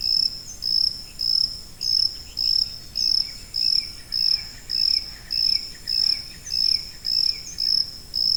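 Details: High-pitched cricket chirping, offered as a tinnitus masking sound: short, pure, even pulses repeat steadily about every half-second, roughly fourteen in all, with faint higher overtones and a soft low background hiss.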